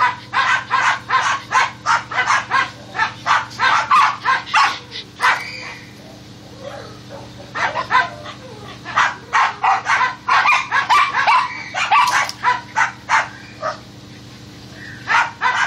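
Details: Dogs chasing squirrels bark rapidly and almost continuously, a fast harsh volley of around forty barks broken by one short pause.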